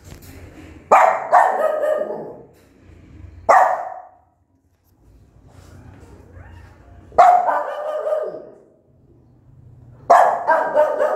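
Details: Angry mother dog barking loudly at her newborn puppies; four sharp, harsh barks with drawn-out, falling tails, spaced irregularly a few seconds apart, with a low hum and quiet gaps between.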